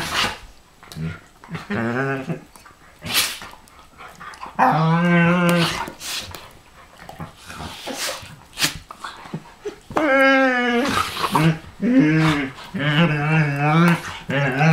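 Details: Rough-and-tumble play between a Pharaoh Hound and a Ridgeback: a run of long, groaning growls that rise and fall, one sharp bark-like burst, and loud scuffling noise throughout.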